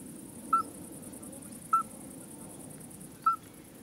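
A common midwife toad gives short, pure, bell-like hoots, spaced roughly one to one and a half seconds apart.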